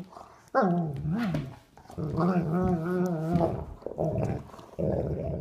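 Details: Two sable German Shepherds, adult Duke aged three and puppy Havok aged nine weeks, playing together indoors: a sharp onset into a wavering grumble, then a sustained, evenly pulsing moan-growl for over a second, ending in softer growls.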